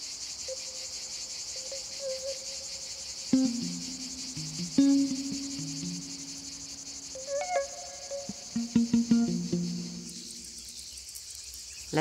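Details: A male cicada in the Provence maquis of southern France, during a summer heatwave, gives a steady, high, unbroken hissing buzz, a mating call telling females he is available, sung all day; females have no call.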